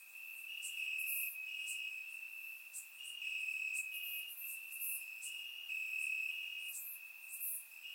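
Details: Crickets in Bulgarian grass at night in warm summer weather, recorded in surround sound, keep up a piercing steady chirring trill with slight pulses, plus scattered higher insect buzzes.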